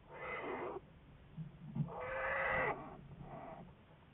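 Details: Research-studied American black bear, February 10, 2014: three rough, harmonic bawling calls, the middle one longest and loudest with a wavering tone, over a low rumbling background.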